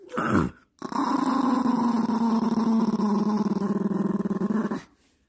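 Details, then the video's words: Eight-year-old male Maltese dog growling to guard its newly bought dog house from being touched; a brief bark-like burst, then one continuous, rough, low rumbling growl lasting about four seconds, steady and pulsing. "강아지가 새집을 지키기 위한 고군분투"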